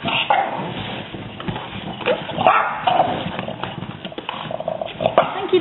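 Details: Several French Bulldogs indoors spot a neighbourhood cat outside and give short, rough barks in uneven bursts while a person talks over them, telling them that's enough.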